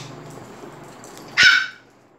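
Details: A single loud, sharp bark rings out at Phuket Dog Resort as the dogs get excited over Fendi the Pomeranian coming in; a faint low hum sits underneath.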